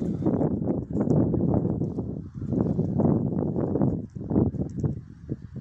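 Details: A stallion going to the mare Milka makes a series of low, rough, pulsing grunts in quick bursts, with short pauses between groups; faint rustling and hoof-like sounds underneath.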